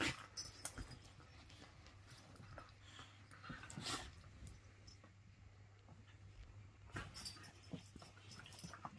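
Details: Whippets, several males, playing together; quiet scuffling with brief broadband bursts, short growl-like and whimpering sounds scattered irregularly, louder bursts near the start, middle and end, over a steady low hum.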